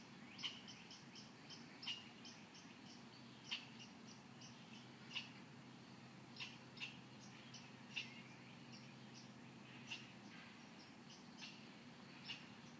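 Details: Tree-dwelling squirrel in Muskegon that imitates surrounding noises such as car bass systems: soft percussive chucks spaced one to two seconds apart, over a faint steady hum.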